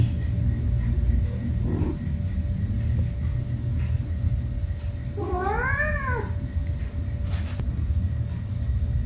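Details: Domestic cat with a kitten playing with baskets indoors; a single drawn-out harmonic meow rising then falling near the middle, over a steady low rumble and a faint hum.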